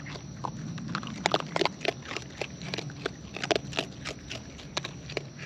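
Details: Wild raccoons eating close up: irregular crisp crunches and clicks of chewing in quick, uneven bursts over a low steady hum.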